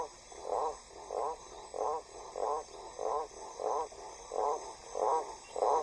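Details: Male Blacksmith tree frog in Central/South American rainforest during breeding season, calling from vegetation about 10 m or more up beside a river to attract females, which prefer deeper voices: a deep, knocking call repeated about every two-thirds of a second.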